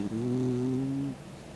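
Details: Sleeping 16-year-old dog Mick snores with his tongue out, giving one droning, tonal, slightly wavering snore of about one second that stops abruptly, then quiet.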